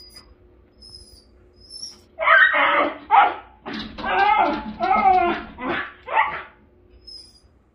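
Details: Miniature Schnauzer waiting for his owner to come home from work, excited as the car arrives; bursts of strained, whining yelps come in a run of about six, with faint high bird chirps in the background.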